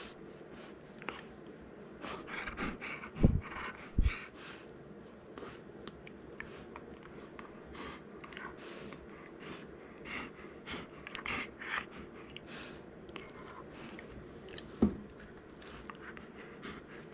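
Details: Cookie, a male Golden Retriever born 19 April 2019 and kept as a family pet indoors, moves from gentle gnawing to more excited playful biting. Soft chewing and gnawing noises with snorts and breaths, and a few sharper knocks near the start and end.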